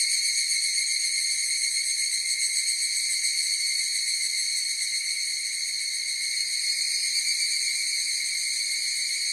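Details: Higurashi cicadas calling in a dense chorus, an unchanging high-pitched shimmering drone of layered tones with light rapid throbbing and no other noises.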